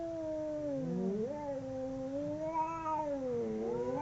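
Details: Two domestic cats fighting, their howls overlapping in long, sustained, wavering yowls that bend up and down in pitch without a break, one voice briefly rising higher in the middle.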